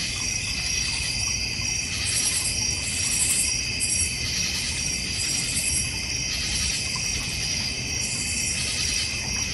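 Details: Backyard crickets in the North Georgia Mountains, near a koi and goldfish pond; many overlapping high trilling voices form steady shrill bands that swell and fade slightly every few seconds.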